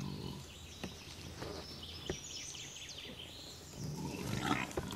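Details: Wild boar group in the Veluwe, Netherlands: while a sow suckles, five motherless piglets try to drink along and are chased off by the sow and two yearlings. Scattered low grunts, then a harsh harmonic squealing burst near the end, faint birdsong above.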